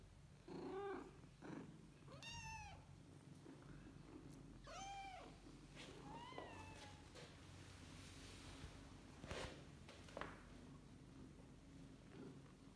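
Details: Kittens with their mother cat, meowing indoors: several short, arching, harmonic meows spread over the first half, then softer calls and light thumps, with a low steady hum underneath.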